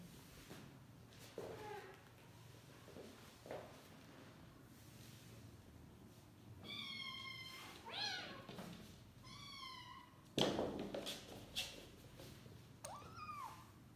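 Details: Sleepy domestic kitten meowing loudly while its sibling keeps biting it, wanting to play; several clear harmonic meows, some rising then falling, around the middle and end, with soft rustling and handling noises between.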